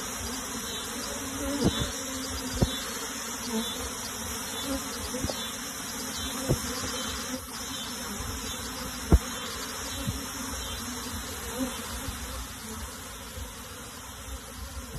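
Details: A steady, dense hum of many honey bees being moved into a box, with a few sharp knocks.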